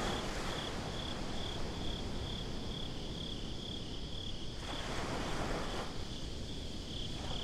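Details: Night-time crickets at the beach keep up a fast, even train of high chirps, roughly four pulses a second, over a constant low rumble of surf with a brighter wave wash rising toward the end.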